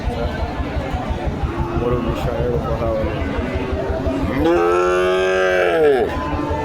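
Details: Bull calf at a cattle market in Joypurhat, Bangladesh, giving one loud, arched moo near the end that rises, holds steady and falls away. Market chatter and voices fill the background before it.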